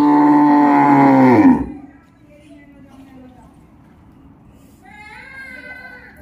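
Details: A cow during milking, after its teats are washed, lets out a loud, deep moo lasting about a second and a half that drops in pitch at its end, followed by quiet and then a person's voice.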